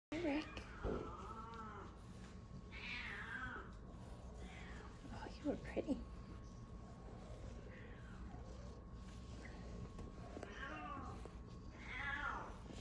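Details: Domestic Shorthair cat awaiting adoption at a shelter gives a few drawn-out, rising-then-falling meows, spaced several seconds apart, while a person talks quietly over a steady background hum.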